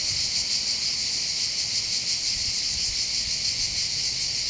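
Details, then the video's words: Chorus of cicadas on the heights over Bandol harbour, Var, on the Mediterranean coast of southern France during summer holidays: an unbroken shrill, rasping drone with a fine rapid throb and nothing else prominent. "accompagné par le champ des cigales"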